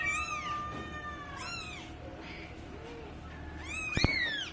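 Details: Pet cat or kitten meowing three times, each call long and wavering with a falling tail, separated by quieter pauses, a brief sharp knock near the end.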